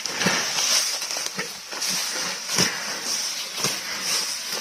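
A water buffalo grazes, with sharp tearing crunches of grass every second or so over a steady insect hum.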